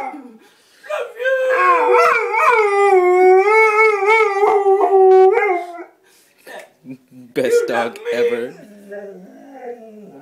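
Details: Female Bullmastiff howling indoors while greeting her owner: a long, sustained, tonal howl lasting about five seconds, wavering gently in pitch. A brief pause follows, then shorter whining, yodel-like notes.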